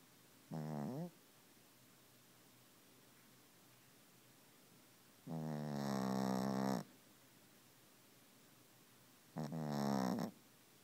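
A Pekingese dog snores in long, rasping, harmonic-rich breaths, each lasting one to two seconds.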